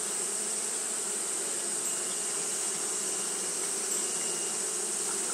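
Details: Constant buzzing of Japanese honey bees fanning on a hot day, an even, unbroken drone layered over a high steady hiss.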